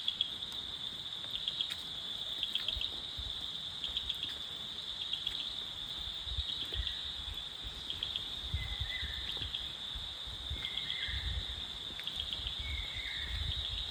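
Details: Crickets in the forest of Takdah in the Darjeeling hills keep up a constant shrill trill. Brief, lower whistled bird notes come in now and then, over soft low rumbling thuds.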